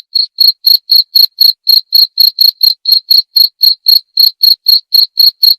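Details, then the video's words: Rapid, regular cricket chirps, about four bright, piercing pulses each second, each a short ringing note with a thin upper overtone, continuing without pause in otherwise silent surroundings. "Suara Jangkrik"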